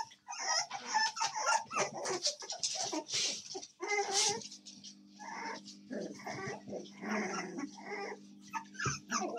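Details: A litter of American Staffordshire Terrier puppies on 7 May 2024 keeps up a dense chorus of thin squeals and whines, almost without pause, with a constant low hum underneath.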